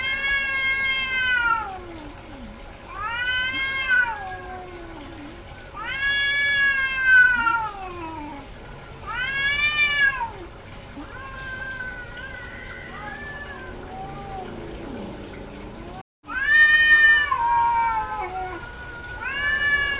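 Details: Domestic cat, a female in heat, repeatedly yowling: a series of loud arched meows roughly every two to three seconds, interspersed with lower wavering moans, one brief silent break, and a steady faint hum.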